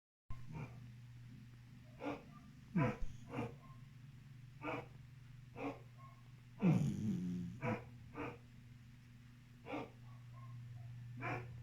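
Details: A sleeping Beagle snoring: a steady low hum runs throughout, broken by short snorting breaths every second or so and one longer wheezy rasp in the middle.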